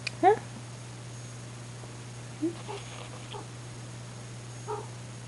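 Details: Rain, a house cat, calls indoors late at night: one sharp, bright meow opens, followed by a few softer, shorter mews spaced a couple of seconds apart, over a low room hum.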